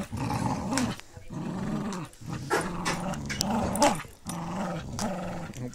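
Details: An adult female Pit Bull Terrier plays tug-of-war indoors in low light with a puppy, rolling onto her back and letting him drag her, amid low, rumbling playful growls; Pit Bull Terrier.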